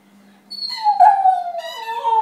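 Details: Rhodesian Ridgeback singing during play: a short howl that starts high, slides gently downward and then breaks into a lower, wavering tone.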